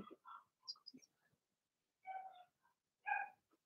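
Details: Blenheim Cavalier King Charles Spaniel puppies from a litter of six in an indoor puppy pen; soft squeaky whines and yips in short scattered bursts, then two fuller yelping cries about a second apart.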